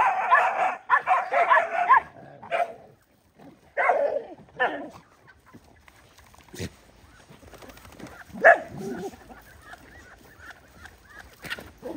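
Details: Poor dogs fighting while being fed: a cluster of sharp, harmonic snarls and yelps in the first five seconds, then scattered quieter growls and a few voices in the background.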